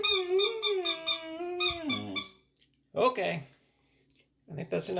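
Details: A nine-month-old male Boxer dog gives a long, wavering howl that slides downward, set off by rhythmic squeaks from a rubber duck toy, recorded on July 9, 2022.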